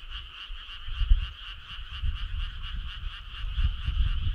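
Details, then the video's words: Many frogs calling together on a midsummer night, a continuous pulsing drone of rapid notes in two layered bands, several beats each second, with soft low thumps scattered underneath. "Cool frog sound"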